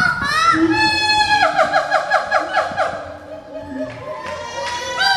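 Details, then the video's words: A siamang, an endangered gibbon, gives loud, ringing hoots that swoop up and down in a rapid, repeated series; such calls mark territory, strengthen family ties, guard fruit trees and attract a mate. "Siamang, One of endangered animals that have Very Loud Voiced"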